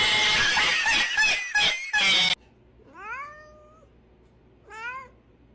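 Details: Domestic cat indoors: a burst of loud noise at first, then two short, rising, questioning meows spaced about two seconds apart in a quiet room.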